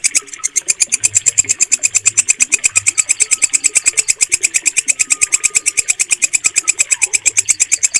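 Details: Walang kecek, a green bush cricket, recorded clearly for training cage birds: a loud, very high, rasping pulse repeated about seven times per second in a steady, even train, with faint low chirps in the background.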